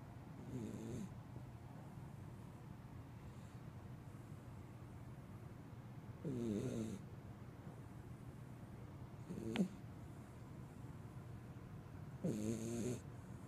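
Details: A Corgi puppy snores in soft, rumbling bursts every few seconds, with quiet breathing between.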